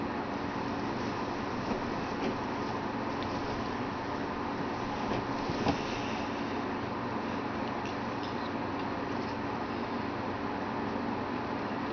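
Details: Steady broadband hum like a running vehicle or engine fills the whole stretch, with a faint knock near the middle and no animal sounds.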